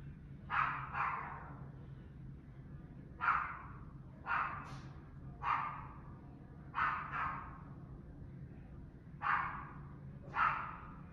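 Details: Dogs barking incessantly at a residential building on a July afternoon at 5 pm, 2021: distant, echoing barks in pairs and singles, roughly every one to two seconds, over a steady low hum.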